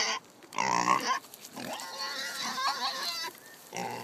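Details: Excited Kunekune pigs at a pumpkin feeding on a farm give loud, shrill, strained squeals. A short squeal is followed by a long wavering squeal lasting about two seconds, then another burst at the end.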